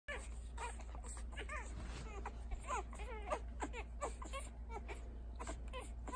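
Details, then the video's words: Six young puppies, three males and three females, just learning to feed, give a dense stream of short high squeaky grunts and whimpers, many overlapping rising-falling chirps, over a steady low hum. "Total cuteness grunting feeding puppies"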